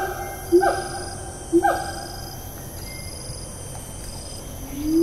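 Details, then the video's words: Siamang in Taman Negara National Park rainforest, Malaysia, 4 April 2019: two sharp downward-sliding notes a second apart, then quiet before a low rising whoop begins, under constant insect buzz. "Siamang - Symphalangus syndactylus"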